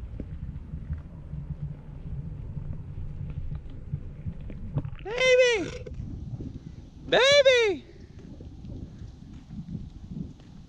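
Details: Sparky, a rescue Basenji dog, gives two tonal, arched cries that rise then fall, each under a second long and about two seconds apart, over a steady low rumble of background noise.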